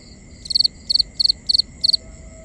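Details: Cricket at night in a binaural ambience, chirping rhythmically: five bright high chirps of three or four rapid pulses each, spaced roughly every 0.35 seconds, over a soft constant background tone.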